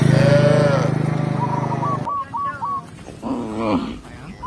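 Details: Village cow walked back to its pen by a shepherd gives a deep, loud, sustained moo lasting about two seconds, followed by softer higher calls and small chirps nearby.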